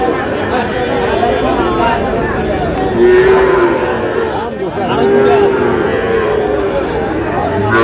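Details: At Ambari haat in Manikganj on 14 August, Sahiwal breed bull calves give two sustained mid-pitched moos a couple of seconds apart, half-buried in the loud chatter and bargaining of the crowded cattle market.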